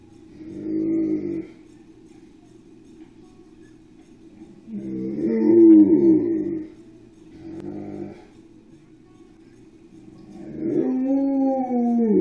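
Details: Dogs left home alone, filmed by a spy cam and excited when their owner gets home; four separate moaning howl-like vocal bursts, some bending up and down in pitch, with quiet hum between them.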